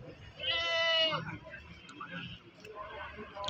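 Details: Male breeding goat offered at the Pakis market, Malang, 10/3/22, gives one short, strained, nasal bleat lasting under a second, followed by people talking and general market bustle.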